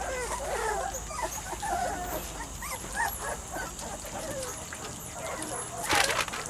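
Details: Young Weimaraner x Vizsla litter, three to four weeks old, with scattered soft whines and short squeaks from several puppies. A sharp rustling burst comes near the end.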